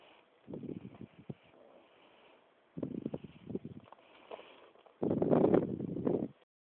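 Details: A 4-month-old pug yawns three times, each a breathy, low groaning vocal stretch about a second long.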